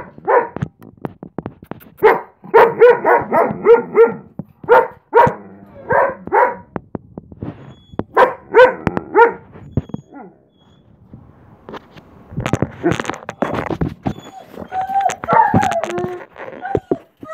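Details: German Shepherd howling with excitement as its owner comes home: clusters of short, wavering yelps and whines repeated quickly for about ten seconds, a pause, then rougher noisy sounds and a few higher, drawn-out whining cries.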